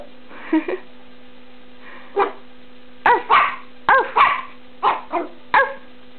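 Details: A pet dog barks back after being told off indoors, giving about nine short, sharp barks, some in quick pairs, spaced irregularly over six seconds over a steady low electrical hum.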